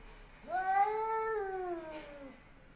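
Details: Bengal cat named Spooky, hostile to a neighbour's Persian cat behind glass, gives one drawn-out moaning yowl of nearly two seconds, rich in harmonics, holding steady and then sinking at the end, in a quiet room.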